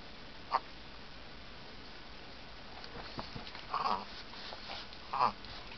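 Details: Simon, a Chihuahua wearing a new red bandana, sneezes: three short, sharp bursts, one early and two more about four and five seconds in, with faint rustling between them in an otherwise quiet room.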